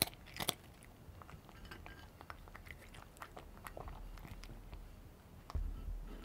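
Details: Close-up chewing of cheese-flavour Dreamies dry treats by a pet cat: a loud crunch at the start, then softer scattered chewing clicks, and a sudden low thump near the end.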